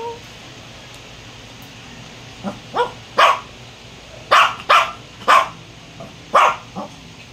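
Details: Domestic dog barking indoors: after a soft yelp, a run of sharp, bright barks comes in uneven bursts, some paired close together, with a quiet room background between them.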